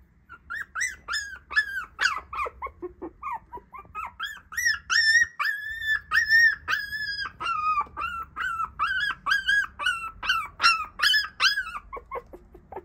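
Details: Black Shiba Inu puppy, one of three sisters, whining; high, thin whimpers and yips repeated rapidly, each a short arched whistle-like note, sometimes rising, in a steady plaintive series with quiet background.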